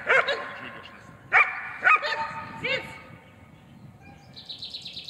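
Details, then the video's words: German Shepherd in training, barking to hold an intruder: a few loud sharp barks in the first three seconds, then quieter, with a higher whining or squeaking sound near the end. "Удержание нарушителя облаиванием. Тренировка."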